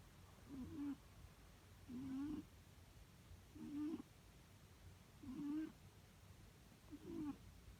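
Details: Cat snoring in a steady rhythm, five short humming breaths spaced about one and a half seconds apart, each carrying a faint nasal whine; nothing else audible.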